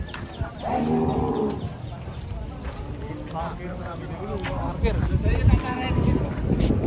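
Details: Large cow at a market, once one ton and a former foot-and-mouth case, gives a short, low, rough lowing near the start. Chatter, footsteps and general market bustle follow.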